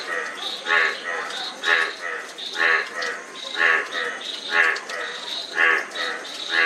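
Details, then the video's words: Frog calling in a steady series, one call roughly every second, each a short pulsed, throaty croak topped by a brighter ringing tone, with a soft constant background hiss. "Frog Sound--Frog Sound Effect"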